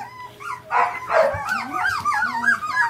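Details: A litter of Samoyed puppies, four weeks old, born December 17, 2012, five females and three males. Overlapping wavering whimpers and short yips rise and fall continuously, and a woman speaks encouragingly at the start.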